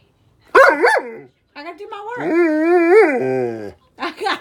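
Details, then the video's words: Dewey, a pet dog, demands attention indoors while someone tries to work: two short rising-falling whines, then a long wavering, howl-like moan with strong overtones, and a brief yelp at the end. A woman talks to the dog before and after. "Demanding Dog"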